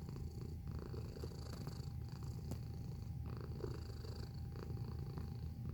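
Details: Steady purring from a domestic cat filmed up close: a low, buzzing rumble in quick even beats, holding the same loudness from start to finish, over a faint background whine and occasional small taps.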